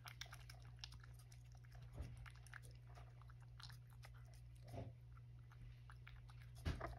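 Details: Indoors, the male rescue cat Sacchan chews a second helping of breakfast: irregular crunchy bites and clicks spread across the clip, a few louder crunches, over a steady low hum.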